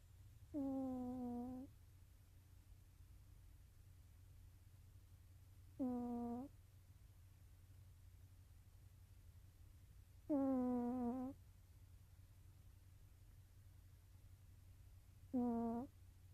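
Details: Nova the cat snoring while asleep indoors: four nasal, tonal, buzzing breaths, each about a second long, steady in pitch and repeated roughly every five seconds over a low background hum.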